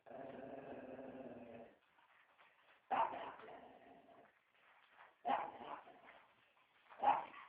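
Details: Dog named Joey giving a sustained low growl, then after a pause three abrupt, loud barks spaced roughly two seconds apart.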